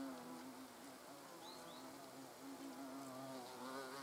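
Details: European hornets (Vespa crabro) at a nest entrance outdoors: short stretch of steady, overlapping buzzing drone with slight pitch wobble, two faint high chirps briefly in the background.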